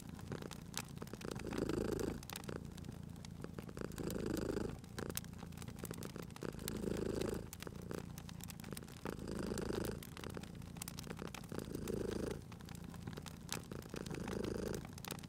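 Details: Cat asleep by a crackling fireplace, purring steadily: a deep, buzzy rumble rising with each inhale and exhale about every two and a half seconds, mixed with frequent crisp crackles and pops from the fire.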